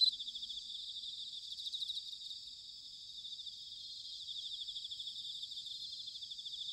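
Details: Autumn chorus of bell crickets recorded in Sanuki, Chiba, Japan: a steady, thick high-pitched shimmer of overlapping trills with no single singer standing out and a faint low rumble beneath.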